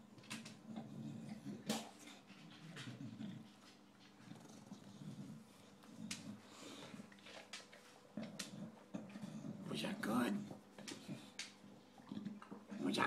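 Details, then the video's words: Recently adopted male English bulldog eating dinner indoors, a noisy eater: continuous wheezy snorts and low grunting breaths mixed with wet chewing and lapping clicks, with louder snuffling bursts near the middle and end. "Our English Bulldog enjoying dinner"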